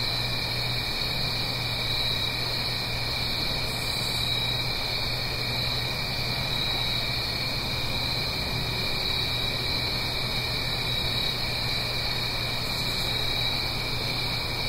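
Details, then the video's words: Crickets on an autumn night in the Blue Ridge Mountains, recorded in stereo up the hill from a stream; constant bright trilling chorus in two pitch layers, two short faint higher pulsed bursts, and a steady low water murmur. "Fall Cricket Song"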